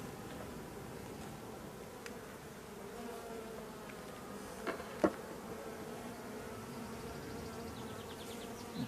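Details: Honey bees of a drone-laying hive with laying workers, frames being inspected at the apiary; a steady, low droning hum fills the hive, broken by a few sharp clicks and knocks of handling.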